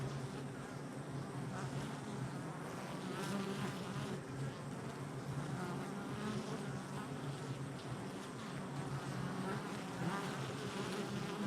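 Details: Busy honey bee hive entrance, July 22nd, 2024, filled with an unbroken low droning hum, many overlapping wingbeat tones rising and falling as bees fly close past.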